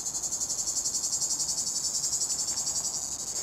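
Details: A plebeian cicada (Tibicen plebejus), one of the last of the season, sings from a pine on 23 August 2019 with a loud, continuous, high, dry buzzing song pulsing at roughly four beats a second without a break.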